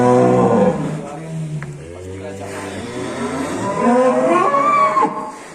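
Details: Black Angus cattle leaving the pen in Indonesia; a loud low moo at the start, then further lowing calls rising in pitch, mixed with background music and voices.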